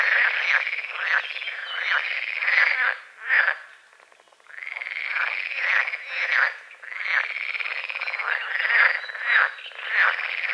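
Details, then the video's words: A frog chorus at dawn on a small lake at the forest edge: strong, pulsed croaking in long bouts, falling silent for about a second near four seconds, then resuming with overlapping callers. "The sounds of morning frogs croaking"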